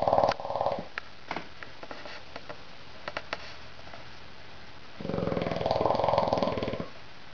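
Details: Little Mondo, a bulldog, snoring loudly while asleep indoors: two long rasping, pulsing breaths, one at the start and a longer one near the end, with a quiet gap and faint clicks between.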